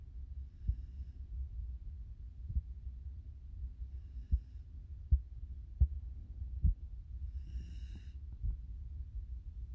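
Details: Nala, a five-month-old Pungsan puppy living in the United States, snores while asleep: soft, low rumbling breaths with irregular pulses every one to two seconds, plus a brief faint high rustle near the end.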